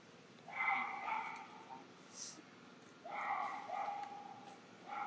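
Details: Baby macaque Anya crying in a tantrum for milk because her mother won't nurse her, Siem Reap Province, Cambodia; two bouts of loud, tonal, harmonic wailing cries, each about a second long, separated by a quieter pause.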